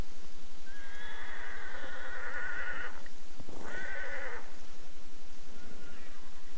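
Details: A stallion from a horse herd in hilly steppe country, animals said never to have seen people, gives a loud, shrill, wavering neigh of nearly three seconds, then a shorter second whinny after a brief pause, over low wind rumble.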